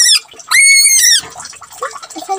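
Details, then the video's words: Pet rabbit crying while being bathed: short high piercing squeals, a brief one then a longer steady shrill note of about half a second, followed by splashing and handling noises. "The crying bunny when I gave bath"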